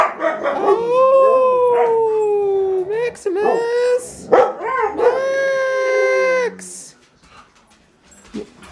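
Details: Pet huskies in a house full of huskies, coaxed to sing: long tonal howls sliding gently downward, each held two to three seconds with rich harmonics, separated by brief yips and a short break, with voices in the background.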